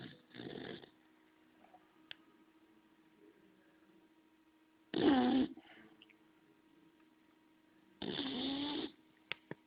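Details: Bulldog Homer asleep and snoring: three coarse, rasping snores spaced roughly four seconds apart, the later ones louder and longer, separated by near silence with a few small clicks.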